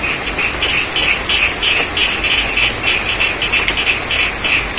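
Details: Frogs calling in the rain from the middle of a rice field in Pacitan, East Java, Indonesia: short, bright croaks repeated about three times a second over steady hiss of rainfall and a high, even insect-like drone.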